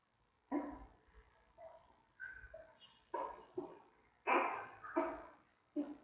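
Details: Giant panda newborn cub in its zoo den, three weeks old, giving short harsh squawks and grunts, about seven separate bursts over a few seconds in a quiet room.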